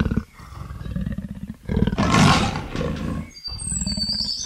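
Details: Leopard giving deep, rasping, pulsed roars in long strokes, with a louder, breathier burst in the middle and a faint high whistle-like sound near the end.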